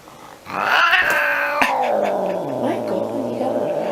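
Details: Angry cat starting with a loud, strained yowl that breaks off with a sharp click, then drops into a low, rumbling, wavering growl that continues to the end.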